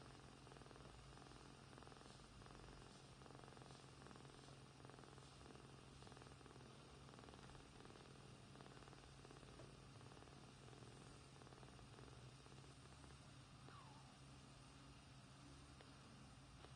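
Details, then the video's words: Two sleeping kittens, one grey and one white, purring together: a soft, steady low rumble with faint rhythmic pulsing that runs unbroken from start to end, quiet overall, with no other clear sounds. "Cute Kittens Sleeping and Purring"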